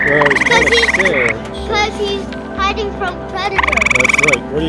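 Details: Grey tree frog found during a camping trip, calling twice with short melodious pulsed trills separated by a gap, over background music with warbling tones.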